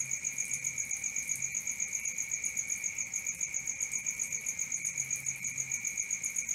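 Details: Crickets calling at night, rhythmic high-pitched pulses around four per second on two steady tones, with a faint low hum now and then underneath.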